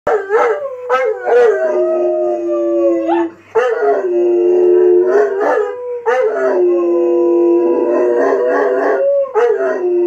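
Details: Saint Bernard dog howling, described as singing: loud, drawn-out tonal howls in three long phrases, each starting with a sharp onset, then holding a steady wavering pitch before dropping slightly, with brief breaths between.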